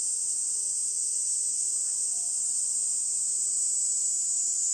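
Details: A Kaempfer cicada, an early-summer species seen on cherry trees along the Minuma irrigation canal near the Minuma rice fields, sings a steady, high, hissing trill that runs on without a break.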